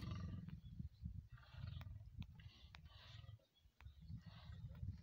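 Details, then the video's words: Lions mating in the wild, a courting pair with the male guarding against rival males; low rumbling growls and grunts in repeated bursts, with rough breathy noise between them. "Lions Mating"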